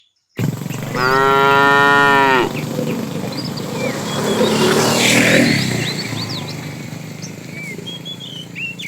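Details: Tame cow moos once in the afternoon while a herd is driven along, a long rich harmonic call lasting over a second, followed by rustling noise and scattered bird chirps.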